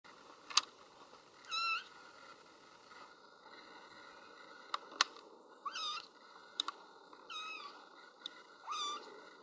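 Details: Little kitten crying for its absent mother, who is outside: short high meows about every two seconds, each a harmonic wail near mid-high pitch, with sharp clicks and a steady background hum between calls.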